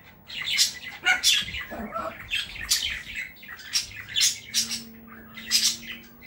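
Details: Small Chihuahua called London, at home with his family in Saratov, giving a run of shrill, piercing yaps about once a second, bright and clipped, in a small room.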